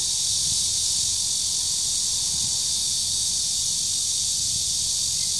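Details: Red-veined cicada in the Shezi artificial wetland, recorded 2 July 2016, giving an unbroken, steady, shrill buzzing drone of even loudness throughout, with a soft low background rumble.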